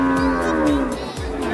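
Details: Female Limousin cow that has calved once, at the Pon Jaken cattle market in Pati; a single steady low moo with rich harmonics, level then fading, with a man talking underneath.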